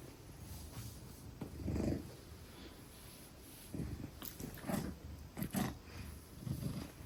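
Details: A 10-kilogram Maine Coon held in a woman's arms purrs in low, throaty surges that rise and fall unevenly, some louder bursts standing out, with scattered clicks and rustling.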